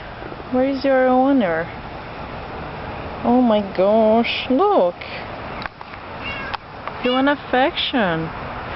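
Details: Lost cat crying in a yard, giving a run of loud, drawn-out meows, several rising then falling in pitch, repeated in bursts with short gaps, while a person speaks and calls to it softly.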